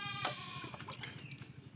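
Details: Male goat bleating while being castrated: a short, strained, harmonic bleat with a wavering tone, mixed with men's voices, handling noise and a steady low hum.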